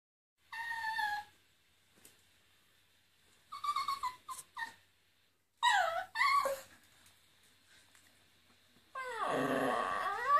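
A Miniature Poodle howls in short, wavering bursts, its high voice sliding up and down.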